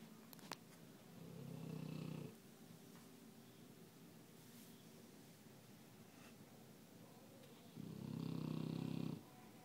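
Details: A sleeping dog snoring: two long, low, rasping breaths, each lasting about a second and separated by a long quiet pause, in a quiet room.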